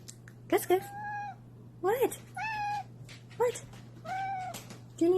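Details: House cat meowing in a small room while a person talks to it, chirpy meows alternating with human questions, steady electrical hum underneath.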